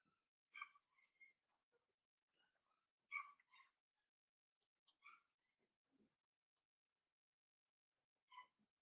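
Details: Litter of five 7-week-old blenheim Cavalier King Charles Spaniel puppies in an indoor home puppy pen, soft high squeaky whimpers in scattered short bursts, a few louder yelps among faint rustling and long quiet gaps.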